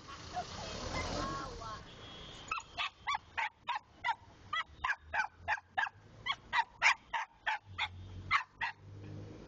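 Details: A person talks briefly, then a pet dog breaks into a fast, steady run of sharp, high yapping barks, roughly three per second, continuing to the end.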